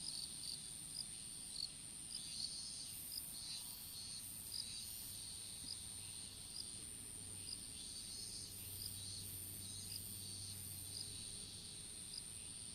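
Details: Strawberry field insects, recorded by a smartphone dropped while planting open-field seedlings: sparse, soft high chirps every second or so over a continuous thin whine, with a faint low hum in the background.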